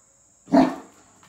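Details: An excited Great Dane gives a single deep, booming bark that fades quickly as his owner returns home.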